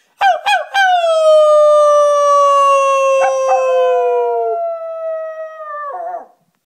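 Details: A male rat terrier howls along with a person, outdoors in the wind: a few sharp yips, then a long, steady howl that slowly sinks in pitch.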